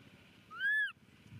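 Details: Baby monkey Momo crying loudly on rocks as his father leaves: one clear whistled wail lasting under half a second, rising then falling in an arch, with a low background rumble.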